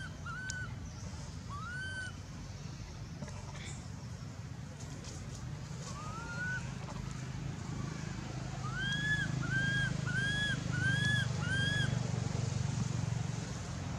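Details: Anissa, a baby monkey in the Angkor Wat temple jungle, cries from pain after being hit and dragged over hard ground by Aron. A few isolated arched wails come first, then a rapid run of five or six similar cries, with low background rumble.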